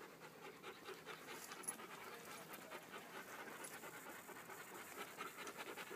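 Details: A small pack of Beaucerons on a forest walk, one dog panting in quick, breathy bursts about two or three times a second, steady and unbroken, with faint rustling around it.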